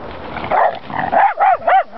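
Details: Jack Russell Terrier reacting to horses: a rough, breathy opening, then three quick yelping barks, each arching up and falling in pitch, packed into under a second.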